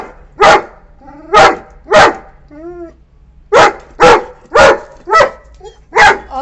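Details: A 9-month-old female Saint Bernard puppy barks angrily at a visiting wild cat to drive it from the property: loud, deep harsh barks in uneven bursts about every second.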